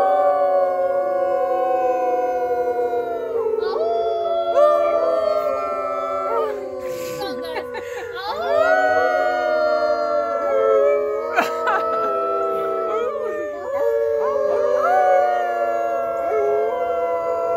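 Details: Wolves at a farm howling together in a chorus: many long, steady and gliding tones overlapping at different pitches, some sliding up or breaking, sustained without pause throughout.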